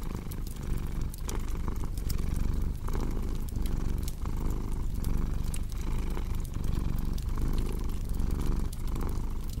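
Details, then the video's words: Continuous low, throaty cat purr with rhythmic inhale-exhale swells, accompanied by frequent crackles and snaps from a fireplace. "Purring Cat with Cozy Crackling Fireplace Sound"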